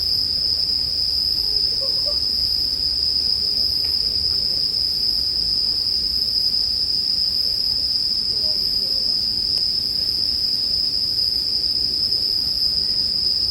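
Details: Bell cricket chorus set against a campfire as relaxing sleep background. A continuous high, even ringing persists without pause, with a diffuse low hiss below and occasional faint clicks.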